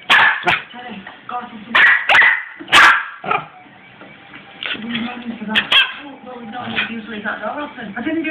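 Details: Six-month-old Cairn terrier and Westie cross puppy indoors, barking in sharp bursts that are spaced irregularly. A person talks between the barks.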